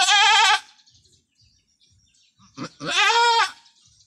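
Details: Two loud, shaky bleats from Anime, a brave long-horned goat giving birth for the first time on a small backyard farm; the first opens the clip, the second follows after near silence about two and a half seconds later.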